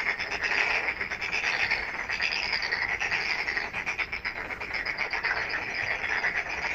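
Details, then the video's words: Frogs at night in full chorus: continuous buzzing, pulsed trills from many callers layered together, with some higher chirping notes mixed in. "Night frog call"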